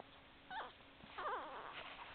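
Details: Puppies whimpering: a short wavering squeal followed by a cluster of overlapping warbling high whines, fairly faint.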